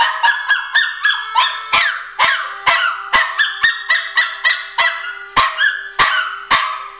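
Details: Pomeranian dog Patch joins harmonica blues with bursts of high, sliding howls that drop in pitch, mixed with sustained harmonica notes and a regular percussive tap roughly every half second.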